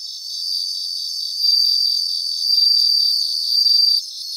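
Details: Bell crickets in a grassland chorus: a continuous high insect drone with three louder ringing, shimmering bursts, each about a second long, arriving at roughly one-second intervals before the nearest singer stops.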